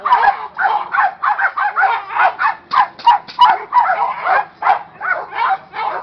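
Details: A young Presa Canario, agitated as part of training, barks almost nonstop in a rapid, rough, evenly loud series of about three barks per second.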